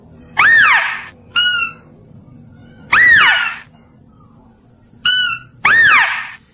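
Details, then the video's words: Mouse-deer calls with a clear, powerful voice, used for luring: loud squealing notes that arch up then fall, each followed by a shorter, higher, ringing note, repeated about every two and a half seconds over a low background hum. "THE SOUND OF THE DEER, THE CLEAR VOICE IS POWERFUL TO ATTRACT"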